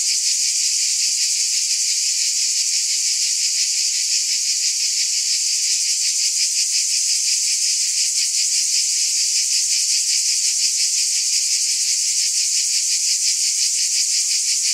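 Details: A cicada chorus holds a loud, even, high-pitched drone, softly pulsing about three times a second. Nothing else is heard.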